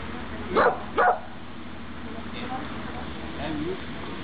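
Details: Dog at obedience practice on 23 June 2012 gives two quick barks in close succession near the start. Quiet human speech and a faint background hum follow.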